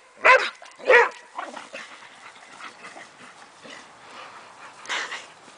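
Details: Boxer Travis, a 9-year-old male, plays in a backyard with his 12-year-old foster sister Suga' Bear, causing trouble. Two loud, sharp barks come in quick succession, then softer scuffling sounds and one more bark near the end.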